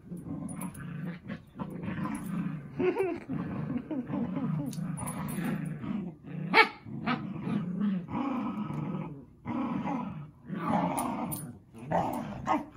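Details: Zuko and Izzy, two dogs playing, growl continuously in rough, snarling rumbles that swell and ease, with one sharp snap or bark midway and scuffling throughout.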